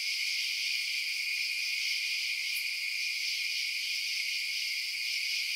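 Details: Nighttime crickets chirping as a steady high, hissing chorus of overlapping trills, one brief sharp tick about halfway, with no low background sound.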